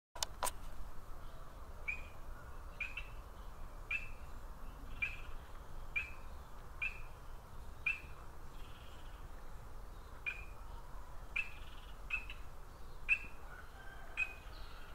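An Ndola reed frog calls with brief, sharp, high-pitched chirps, each like a quick tick. The notes repeat at a steady pace of about one per second over a low background rumble.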